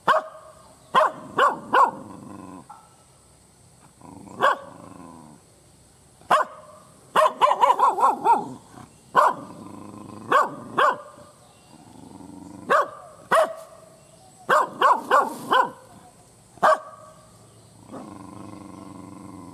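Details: Loud, hostile barking from a fierce village dog: irregular single barks alternating with fast rattling bursts, one run of five or six barks in quick succession, low rumbling between them and a steady high-pitched tone throughout.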